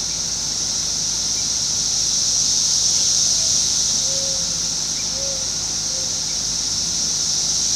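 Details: June 5, 2021, Fairfield, Ohio: the 17-year Brood X cicada emergence, heard singing nonstop where houses back onto woods; a sustained sizzling high chorus with slight swelling, and a few faint short whistled notes in the background.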